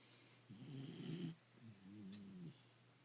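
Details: A loud snoring dog indoors: two low, rasping breaths, each lasting about a second, with a brief quiet pause between them.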